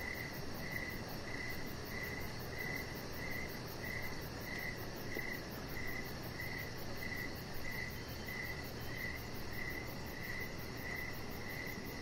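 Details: Crickets chirping outdoors in the evening beside a deck with decoration lights, a pet chihuahua puppy lying nearby; steady pulsed high chirps repeating about every half second over a constant low broadband hiss.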